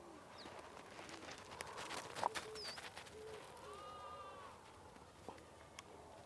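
A single sheep bleats once, a quavering, nasal note that swells and fades over about a second. Brief bird chirps and a constant farmyard murmur fill the background.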